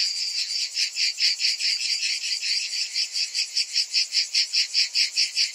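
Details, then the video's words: Summer cicadas calling together, a shrill throbbing drone pulsing roughly two to three times a second, even and unbroken throughout. "Cicadas in Summer"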